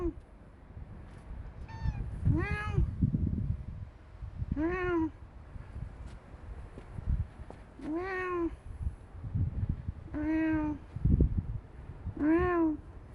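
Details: Stray cats meowing outdoors: six arched, rising-then-falling meows spaced about two to three seconds apart, over steady low rumbling background noise.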